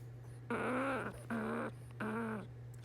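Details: Sabrina, a rescued pet squirrel with malocclusion, snoring while asleep at bedtime: three squeaky, tonal snores, each about half a second long, coming in quick succession over a steady low electrical hum indoors.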